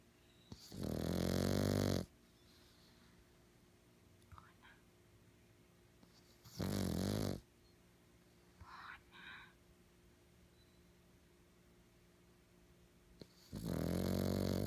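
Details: A black pug, stressed, lets out loud, harsh, drawn-out screams, each over a second long.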